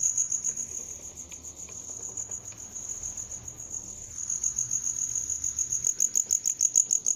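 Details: Shrill cricket trill, fast pulses at first, softening in the middle, then strong, distinct rhythmic chirps repeating about three per second near the end; a few faint clicks in the background.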